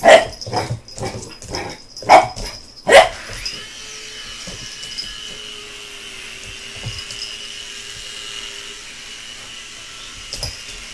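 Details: Pet American Bulldog puppy BooBoo, excited by a helicopter, gives a quick run of five sharp barks in the first three seconds. A steady mechanical droning hum with a held tone follows, and one faint bark comes near the end.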